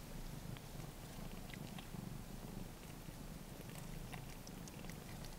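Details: Ragdoll mother cat tending her three-week-old blue point bicolour male kitten, licking up its urine; continuous low rumbling purr with rhythmic pulses, overlaid by soft moist licking clicks.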